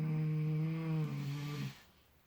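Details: Sleeping miniature potbellied pig in fresh straw gives one low, sustained, tonal snore lasting about one and a half seconds, dropping slightly midway before fading into quiet room hush.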